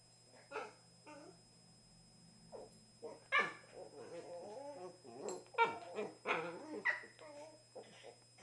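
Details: Pair of pet Cavalier King Charles Spaniels, a 2-year-old black and tan male and a 1-year-old tricolour female, playing gently together: a string of short yelping barks, grumbling growls and whiny squeals, loud irregular bursts with brief pauses between.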